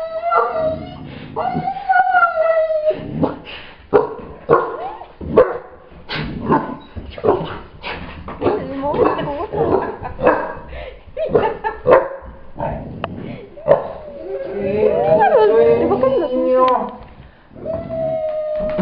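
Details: Pet dogs, a black three-month-old Great Dane puppy named Giorgio and a nine-year-old Doberman named Maggie; high, drawn-out whining and short yipping whimpers at the start and again near the end, with a person talking throughout.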